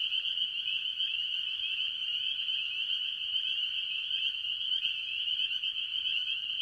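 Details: Spring peepers calling with other tree frogs at a farm pond early in the year, a dense unbroken chorus of high, piercing peeps blending into one steady shrill ringing, with no other sounds.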